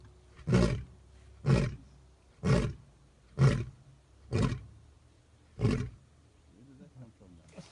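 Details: Full-maned lion roaring about 30 meters away, heard in the wild: a series of six deep, heavy grunting roars, one roughly every second, each a short booming burst dropping into silence, with faint rustling at the end.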